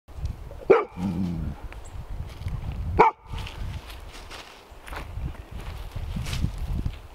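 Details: Golden Retriever, a female meeting her first snake, an aggressive, defensive garter snake, at a cabin on the Georgian Bay coast, nervous and on edge: two sharp barks about two seconds apart, then rustling, footsteps and outdoor noise.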